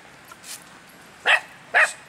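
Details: Miniature Pinscher, a male named Eden, running free in a park, gives two short sharp high barks about half a second apart after a faint earlier yip, over quiet background.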